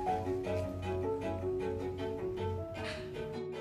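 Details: Bowed string music with cello and violin tones plays throughout, with no animal sounds heard.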